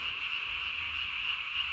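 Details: Japanese tree frog at night, recorded 3 May 2020, throat vocal sac puffed up as big as its body; a constant high, rasping trill holds steady throughout.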